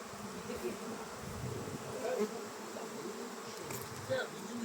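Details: Honey bees at an apiary, a steady dense hum of many bees buzzing together, with brief faint higher buzzes of single bees passing close.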